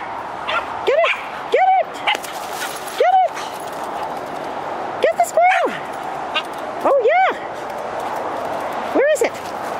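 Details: Female Keeshond playing outdoors in a British Columbia forest, urged to chase a squirrel up a tree; about eight short, sharp rising-and-falling yips in uneven bursts over ten seconds, with a person's encouraging voice between them.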